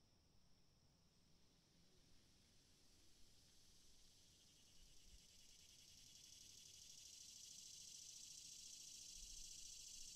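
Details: Continuous shrill buzzing of cicadas that starts soft and gradually swells louder toward the end, over a faint low background rumble.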